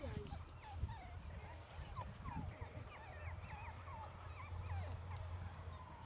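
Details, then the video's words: A litter of seven Teddy Bear puppies, four of them female, playing outside: high, thin whimpers and yips, many rising and falling in short slides, come in a steady overlapping stream, while people talk nearby and a low hum runs underneath. "Teddybear Puppies Playing Outside!!"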